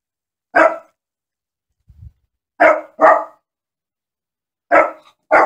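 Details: Dog barking loudly: five sharp, abrupt barks with clean silence between them, one single, then a quick pair, then another pair near the end, plus a faint low thump.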